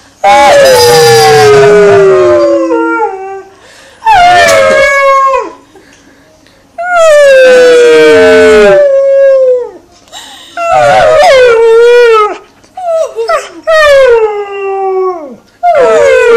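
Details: Alaskan Malamute joining people in a howl; long, sliding, harmonic-rich howls rising and falling, in bursts of one to three seconds separated by short pauses, with human howling voices mixed in.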